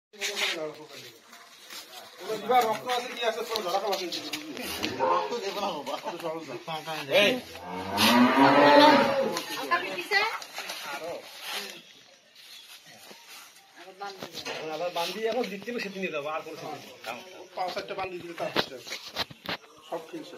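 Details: Cattle at a farm in Saidpur, Nilphamari, on Eid day of the Qurbani sacrifice, lowing in drawn-out, harmonic moos, the loudest near the middle, with people's voices and clatter around.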